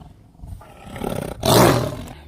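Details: Tiger roaring: low, rumbling, throaty growl that builds and ends in one loud, broad burst lasting under a second.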